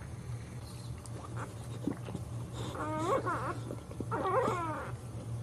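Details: Whimpering from a Boxer dog while it gives birth to puppies indoors: two short, wavering, harmonic whines about a second apart, each bending up and down, over a steady low electrical hum and faint rustling.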